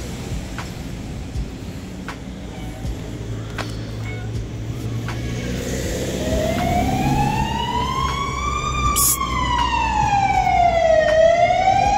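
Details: Low traffic rumble and a few sharp clicks fill the first half. An emergency siren then sweeps up and down over it, and no animal voice can be picked out.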